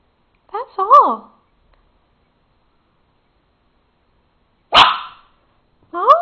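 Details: A Papillon dog indoors in a jumping barking fit over tomatoes on the kitchen counter: short wavering yelps near one second, a sharp single bark near five seconds, then another yelp, with silence between.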